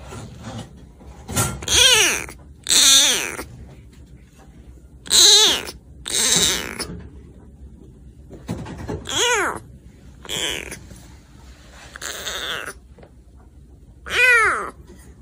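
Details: ['Rescued kitten about four weeks old, meowing indoors; thin, high, wavering mews repeated every second or two with pauses, some faint rustling between calls.']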